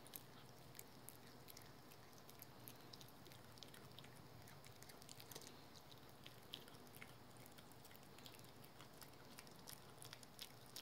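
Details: Pet dog Rookie eating a dental chew indoors, chewing it thoroughly; a steady run of soft crackling bites and sharp clicks, several each second, over faint room noise.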